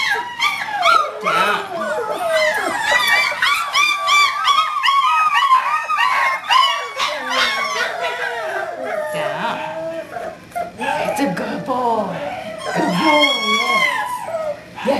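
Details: Five-week-old puppy Whiskey, from Star's fourth litter, born 12-5-11 and recorded 1-13-12, lets out rapid, wavering whines and short yelps over a trainer's steady praise and commands, with a little background music.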